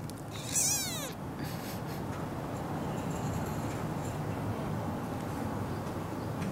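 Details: Three-week-old kitten, seemingly the smallest of a litter of four born to a semi-feral cat, held in the hand: one short, high meow that rises then falls, followed by quiet background hiss.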